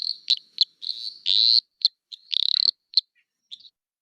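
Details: High, insect-like chirps and buzzy trills of an eastern dwarf tree frog (Litoria phalax), a species common in Hawkesbury, with a drawn-out buzz and a pulsed trill between brief clicking notes over about four seconds.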